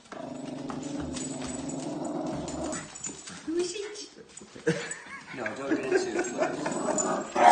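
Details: Female Patterdale Terrier reacting to a painted portrait of herself as if it were real: a steady low droning growl for about three seconds, then a brief rising whine and uneven vocal sounds, with people talking over her.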